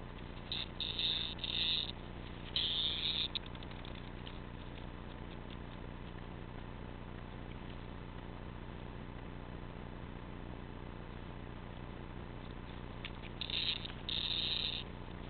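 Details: Cicada caught indoors after a cat named Sonny carried it in, with the cats taking turns playing with it as it tries to escape; harsh buzzy bursts crackle in several short bouts, a long quiet stretch, then two more bouts near the end.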